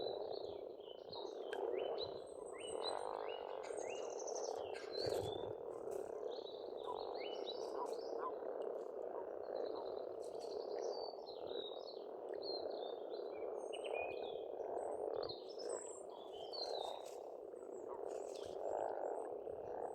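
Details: Pond frogs in Estonia in spring, calling together in a steady, unbroken croaking chorus, while many birds sing above with quick whistled phrases and chirps across the whole stretch.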